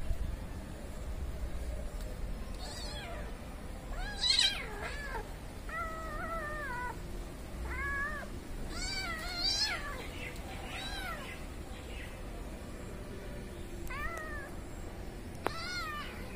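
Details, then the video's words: Mother cat with her kittens; a series of short mewing calls, some with wavering pitch, sounding at intervals through the clip, with several higher, thinner cries overlapping and a low background hum. "Mother cat with kittens"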